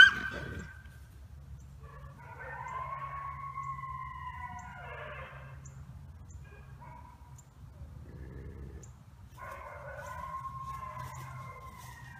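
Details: Captive red wolves (Canis rufus) at a conservation centre in South Salem, New York, a pack of parents and three 8-month-old daughters, give long, wavering, whiny howls with overlapping tones, rising and falling in two separate bouts.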